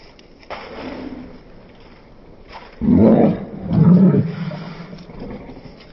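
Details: A pair of Cane Corso protection dogs, a female and a large male, roughhousing in play fighting at home, slowed to slow motion: two long deep drawn-out growls mid-clip over a low background rumble.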